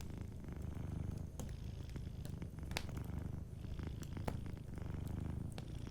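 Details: Sleeping cat purring softly indoors beside a warm fireplace: a steady low rumbling purr fills the clip, swelling and easing with each breath, while sharp wood-fire crackles and pops sound over it.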